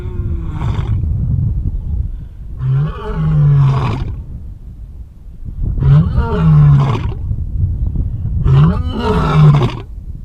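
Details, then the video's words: Lion roaring in the wild, a sound used against enemies: four deep, throaty, rasping bursts about every three seconds, each swelling then fading, with low rumbling between them and no other clear sounds. "Lion Roar, More Than Just a Loud Noise"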